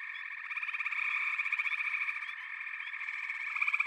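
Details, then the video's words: Massed frogs form a continuous chorus of fast-pulsed trilling calls, layered into a shimmering high buzz. A nearer caller's rhythmic pulses rise and fall, growing louder again near the end. "Frog Chorus"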